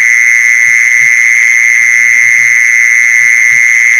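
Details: Continuous buzzing trill of a mole cricket, used as a lure for catching mole crickets, staying level and unchanging throughout, with soft low thumps in the background.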